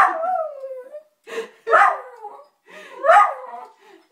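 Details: Dog howling indoors, annoyed with the answering machine; a long falling howl followed by several shorter wavering howls with brief gaps between them.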